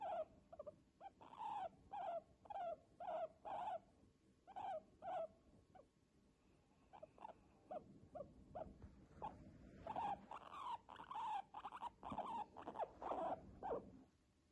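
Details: Moritz, a pet guinea pig eating little and moving little, possibly unwell, gives short squeaking calls in quick bursts, several per second, with pauses between runs.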